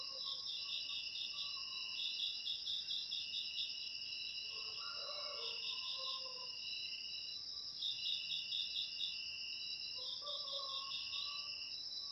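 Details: Cricket chirping, used to drive rats out of homes naturally: a constant shrill high trill overlaid by bursts of fast pulsed chirps about every two to three seconds, with faint lower warbles from other callers.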